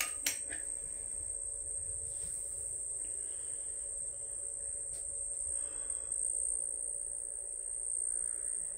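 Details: Kept crickets produce a sustained high, thin ringing that barely wavers in pitch, opening with a sharp knock and accompanied by a low background hum.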